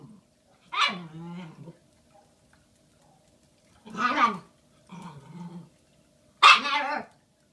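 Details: Shiba Inu puppy Bowie, a female one day short of five months old, handed a giant Valentine's Day bone on 14 February 2016; four drawn-out whiny, grumbling vocalizations, each under a second, separated by quiet gaps.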